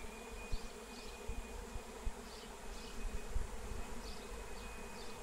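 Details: Honey bee swarm flying during a capture attempt using lemon balm: thick continuous buzzing hum layered in harmonics, occasional low thumps, faint high chirps and a thin steady whine.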